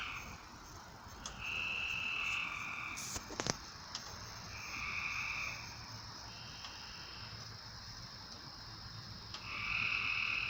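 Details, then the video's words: Frogs calling at night: steady, buzzy trills of about a second each, overlapping and repeated every few seconds at several pitches, over a constant background hum with a few sharp clicks near the middle. "A Strange Night Sound? And Frogs!"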